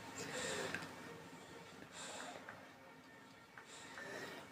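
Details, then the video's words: A sleeping French Bulldog, worn out after a whole day of running through the forest, snores indoors: soft, hissing, breathy bursts that come about every 1.7 seconds in a quiet small room. "Los relajantes ronquidos de mi bulldog francés"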